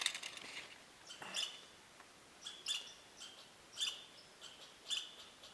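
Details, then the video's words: Squirrels give alarm calls at 7 a.m. near a hammock campsite, sharp, high chips repeated about once a second and traded back and forth. "I don't know if you can hear my squirrel alarms."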